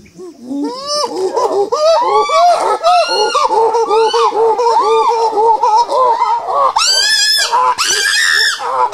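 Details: Pant hoot by a chimpanzee, a ventilatory display of strength and dominance: loud, rhythmic panting hoots rising and falling several times a second, peaking in piercing high screams about two-thirds through, then continued hooting.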